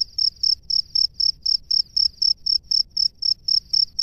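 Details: A male cricket sings from its nest to summon a female: clear, ringing high chirps at a regular beat of about four per second, each short and pure, with faint low background noise.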